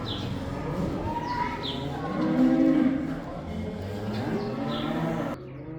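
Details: Herd cattle out of the barn for the first time, giving deep, harmonic moos that swell and fade, with several animals calling at once before the sound cuts to quieter background.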